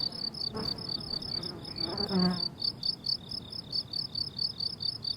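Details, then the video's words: Crickets calling from a summer meadow, regular high chirps continuing throughout while a brief buzzing insect passes close in the first half, adding lower droning tones. "Relaxing Cricket Sounds on a Summer Meadow"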